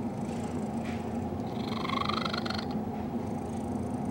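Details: Domestic cat Cecil purring while snuggling with Betty, a dog he loves, giving an unusual purr: a steady low rumbling drone throughout, with a brief higher, whiny tonal overtone swelling in the middle of the clip.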